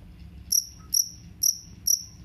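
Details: Jangkrik kalung cricket, played to chase off rats: crisp high-pitched chirps repeated evenly about every half second, each a short bright pulse, with a faint low hum between them.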